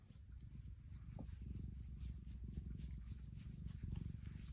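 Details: A happy female tuxedo cat named Tiki purrs in a deep, unbroken rumble, its fine rhythmic pulses swelling slightly louder toward the end, with a small click near the start.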